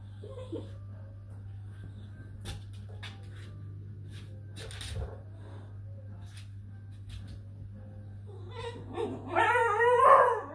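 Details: Basenji. Quiet knocks and soft whimpers come first, over a constant low hum. Near the end, a basenji breaks into a warbling, rising and falling yodel-like call, full of harmonics.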